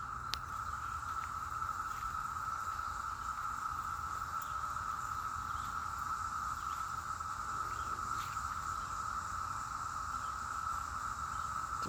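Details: Many cicadas, heavy in this mountain area of western North Carolina, drone together in a steady, unbroken, very loud high-pitched whine that never pauses; one is seen flying.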